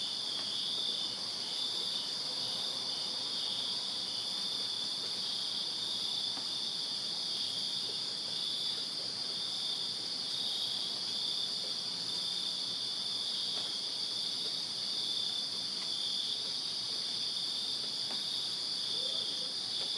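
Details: Crickets chirping in a backyard on a summer night in Virginia, a steady unbroken high-pitched chorus forming dense continuous bands, with no other clear sounds.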